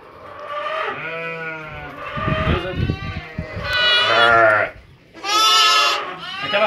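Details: Santa Inês sheep lambs, a breeder's young stock: several wavering, harmonic bleats of about a second each, rising in loudness near the end, with low rumbling handling noise and brief human voice between calls.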